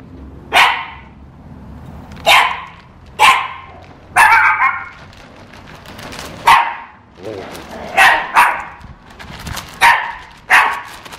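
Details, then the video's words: Shih Tzu puppies scared by toilet paper, barking repeatedly: about nine sharp barks at uneven intervals, some doubled, with faint human voices in the background. "Scared Shih Tzus!"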